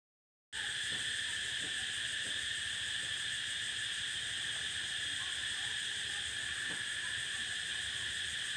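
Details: Cicada song on the prairie: a steady, shrill, unbroken drone with layered high bands that holds constant throughout, over faint low rustling and murmur in the background.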